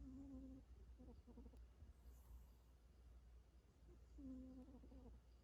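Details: Domestic cat asleep and dreaming, with snoring noted: two quiet, mewing murmurs about four seconds apart, each a short level tone that breaks into stuttering pulses. Between them, low indoor hum and near silence.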